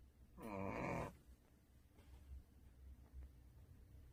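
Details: A sleeping pet dog named Duhee, second dog of the household, lets out one loud, rough, buzzing snore lasting under a second, followed by soft, quiet breathing and faint room noise.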